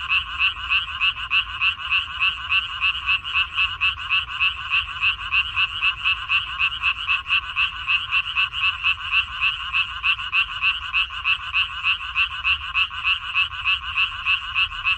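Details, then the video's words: Frogs of a minari paddy, Korea, 14 May 2021, croak in a continuous chorus: fast, rhythmic, grating pulses at about three and a half per second, overlapping voices keeping a constant din. "고향 생각 나게 해주는 개구리 소리, 미나리밭의 그놈들, Croaks of Frogs, Sounds of frogs, Song of frogs"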